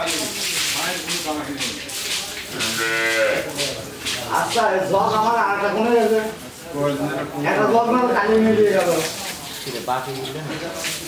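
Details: A pregnant Jersey cow, nine months in calf and due to calve for the second time, in Pabna, Bangladesh. Several overlapping harmonic lowing moos rise and fall against a busy, noisy background.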